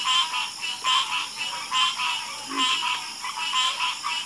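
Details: Several frogs croaking together at night, rhythmic pulsed croaks roughly once a second, overlapping into a steady chorus with a faint high hum behind.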